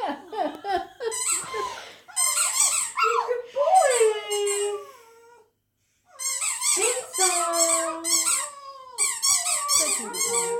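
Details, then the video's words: Male Border terrier at home singing along to his favourite squeaky toy: rapid bursts of shrill toy squeaks alternate with falling, wavering howls, with a short silent pause midway and some light laughter indoors. "Border terrier plays a song on his favourite toy"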